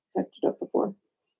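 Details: Young Blenheim Cavalier King Charles Spaniel puppies from Remy's first litter of six, indoors in a home puppy pen, give four quick throaty grunting whimpers in a row, the last one longest, then fall silent.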